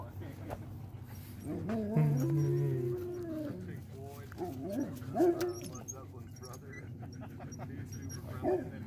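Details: Sled dogs in Alaska, trained to be sociable, greet a visitor and lick a face; drawn-out wavering whines rise and fall, with a person's voice mixed in.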